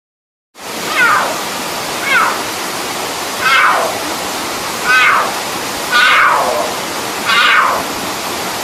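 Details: Cougar (Puma concolor) giving a series of high, descending mew-like calls over a steady hiss.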